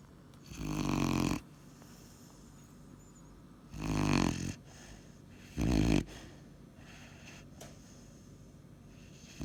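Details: Weimaraner puppy asleep and snoring: three rough, low, breathy snores at irregular gaps of about two to three seconds, with quiet breathing between them in a small indoor space.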